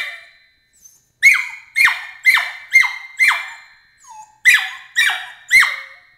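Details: Emily, a Border Collie puppy aged 13 weeks, voices her objection to the crate in shrill yelps falling in pitch, about two per second, with a soft low whine in the middle pause.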